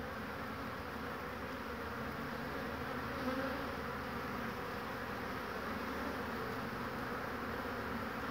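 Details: Honey bees flying intensively at the hive entrance on a warm day, 22 March 2019, in spring, with willows yielding nectar and pollen; a steady, dense, low buzzing hum persists throughout, with a brief louder swell near the middle.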